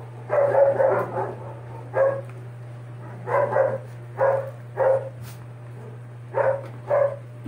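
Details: Sixty-day-old Doberman puppies with cropped ears give short, sharp barks in separate bursts, roughly ten over seven seconds, some doubled, with quiet gaps between and a steady low electrical hum underneath.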